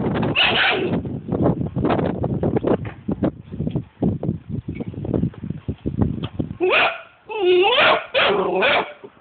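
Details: Angry Vizsla puppy growling: a fast run of rough, uneven growls and snarls, then a few high, wavering whines and yelps near the end.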